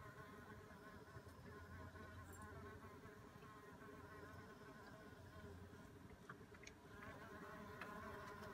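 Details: Mason bees busy in a back yard on a warm spring day in April 2016, a bumble bee also present; steady low droning hum of wings with overlapping buzzes throughout, some faint higher ticks above.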